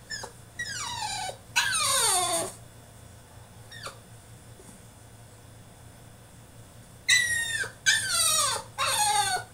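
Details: French Bulldog in his cage throwing a tantrum: high, falling whines and drawn-out squealing cries in bursts, separated by quiet gaps with a faint steady hum indoors.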